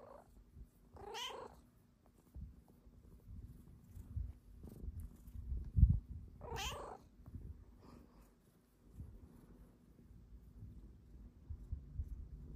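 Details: Pet cat belly flopping and wanting belly rubs indoors, letting out two brief wavering meows several seconds apart amid a low, soft purring rumble and faint room noise.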